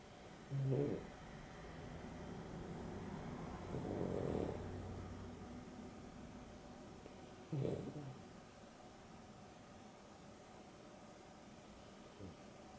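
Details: Afternoon nap of Dexter and Rio, a Boston Terrier and a Beagle mix, with Dexter snoring: irregular snorting snores and a drawn-out rumble around the middle, separated by several seconds of soft breathing.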